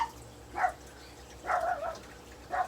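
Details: A pet dog at a home aviary with breeding cockatiels barks three times from a little distance while baby birds are being hand-fed: two short barks and one longer, wavering one, with faint room noise between.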